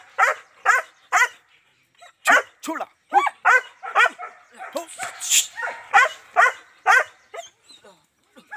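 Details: German Shepherd in Azamgarh, India, among a stud male and two females, giving about eighteen loud separate barks in irregular runs with short pauses and a brief rustle between.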